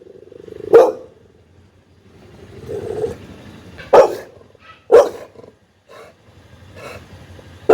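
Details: Pit bull barking angrily and loudly: four sharp, harsh barks spaced irregularly over about eight seconds, with low rumbling and quieter sounds between them.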